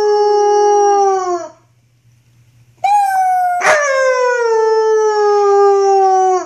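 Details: Six- to seven-month-old wolfdog puppy Luna, recorded in 2013 during rough play, howls twice: a steady, gently falling tone that fades out, then after a short silence a higher howl that drifts slowly downward, broken once by a sharp click.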